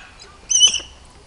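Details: Two African wild dog pups at Bioparco di Roma, offspring of Okla and Chiaro, give a single brief high squeaky call lasting about a third of a second, sharp and whistle-like, in an otherwise quiet enclosure.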